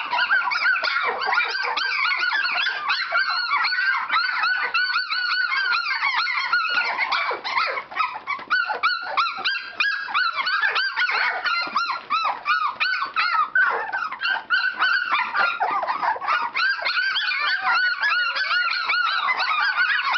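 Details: Standard Poodle puppies exercising in a whelping box, a litter chorus of overlapping high whining squeals and yips, arched and wavering notes crowding together without pause, a short thinner patch midway before the din builds again.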